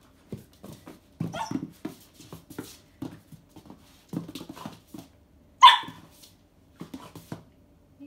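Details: Pet dog indoors barking at a rubber pig toy: short low barks and grumbles in bursts, with one louder higher yelp midway and quiet pauses between.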